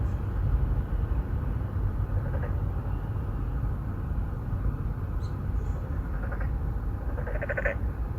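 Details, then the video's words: Endangered Boreal digging frogs courting in a residential pond in Songdo, Incheon, Korea; faint, distant bleats early on, building to a clearer buzzy croak near the end, set against a dominant low droning traffic rumble. "Who are you 넌 누구냐 Narrow mouth frog 맹꽁이"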